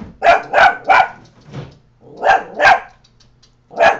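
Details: Pet Coton de Tulear Scooter barking at a neighbour, rapid harsh barks in a run of three, a short gap, two more, then a final single bark, loud and close.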